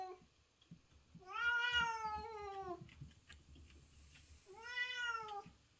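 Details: A white cat in heat gives two long, drawn-out yowls, calling out for a mate.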